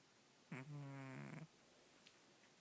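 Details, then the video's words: Sleeping house cat giving one loud snore, a steady, buzzy drone lasting about a second before fading to quiet room noise. "Snoring Cat"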